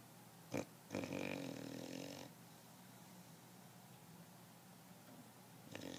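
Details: A male English Bulldog gives a loud snore in a rough, rattling rasp, with a short snort before it.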